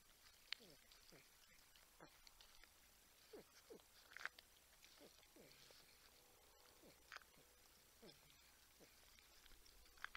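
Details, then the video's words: Humming porcupines at a Texas Wildlife Cam feeding site in San Angelo, Texas, drawing the interest of a buck and a raccoon. Many short, falling whine-like hums follow one another, with faint clicks and rustles around them. "Humming Grunting Porcupines"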